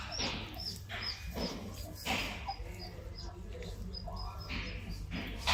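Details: Gaddi dog puppy giving short, breathy yelps and whimpers in quick bursts, with thin high squeaks between them, over a steady low hum and faint background noise.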